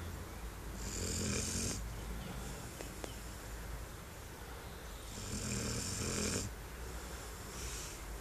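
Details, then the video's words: Brown Labrador Retriever named Duke-Emil, six months old and weighing 21 kg, snoring while comfortably settled on a garden chair; breathy, noisy snores swell and fade in long cycles, each rasping inhale stretching over about a second, with a steady hiss throughout. "Brauner Labrador Duke-Emil schnarcht"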